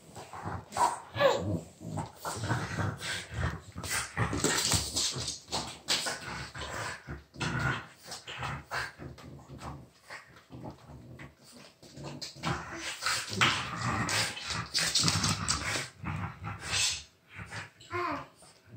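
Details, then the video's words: French Bulldog indoors with a child, the two sharing one toy; the dog gives short whimpering and barking vocal bursts scattered through the clip amid busy household noise and clattering. "Buldog francuski i dziecko jedna zabawka"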